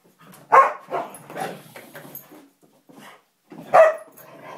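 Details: A Samoyed and a Siberian Husky play-fighting: a loud sharp bark, then a quick run of growly barks, a short pause, and another strong bark with a trailing whine.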